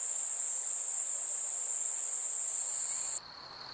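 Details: Summer-night crickets trilling in a constant high, thin ring for about three seconds, then an abrupt cut to a quieter, lower-pitched steady trill.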